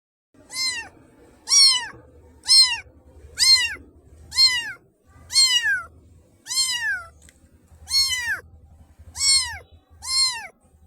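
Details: Black baby kitten meowing repeatedly, about once a second: short high harmonic mews that rise and then fall, with a soft low rumble between calls.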